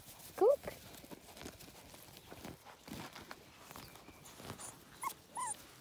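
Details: Six-week-old Border Collie puppies: one sharp high rising yelp near the start and a thin falling whine at the end, amid rustling and quiet human voices.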